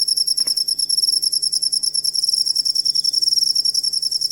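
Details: Cricket sound played to train songbirds: a rapid, evenly pulsed high-pitched trill of closely spaced chirps, with a single soft knock early on and a low background hum.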